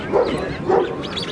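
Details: Male Rottweiler in the CC ring at the Delhi Kennel Club dog show in India: two short, full barks about half a second apart, set against a steady murmur of crowd voices.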